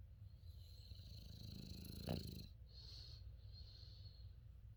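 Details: A sleeping female English Bulldog/Shar Pei mix snores strongly enough to be felt as vibration: a low, rumbling breath sound with a brief louder snort-like burst near the middle, over a steady faint hiss.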